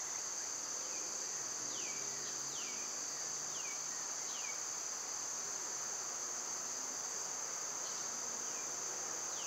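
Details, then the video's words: A constant shrill cicada buzz of summer runs underneath a series of quick, downward-swooping bird chirps repeated every second or so. "Cicada sounds"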